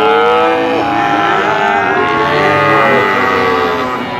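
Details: Brahman bulls lowing together in a short burst: steady, drawn-out harmonic moos overlapping without a break, one call sliding downward early on while others hold level.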